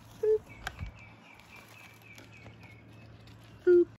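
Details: Baby LaMancha milking goats on a raw-land homestead give morning boops. Two short, soft, steady-pitched calls come about three seconds apart, with a faint hum and light rustling between them.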